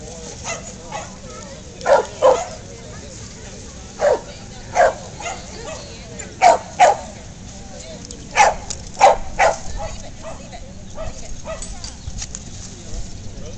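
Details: Two Corgis, Darla and a puppy named Sweety, playing together at a July Corgi meetup; short sharp barks and yips come in irregular bursts, often paired, amid steady background chatter and crowd noise.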